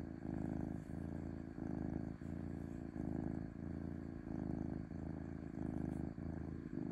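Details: Domestic cat purring smoothly: a steady, low rumbling purr that swells and dips in even bursts roughly every 0.7 seconds, alternating slightly with each breath, with no other sounds present.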